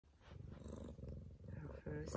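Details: Female Bengal cat in a home, giving birth, her first kitten born at 6:30 in the morning. Soft low rumbling purr pulses steadily, quietly, throughout.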